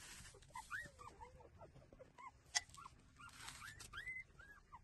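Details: Nursing street puppies give scattered short whines, some bending upward, others dropping, spread through the clip over a hiss of background noise and a single sharp click.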